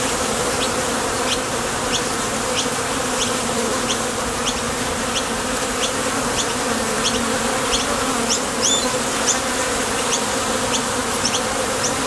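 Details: Steady buzzing of honey bees departing and landing at a Top Bar Hive entrance on their way to gather nectar; the low hum is constant, with rapid short high chirps and one brief louder twitter near the end.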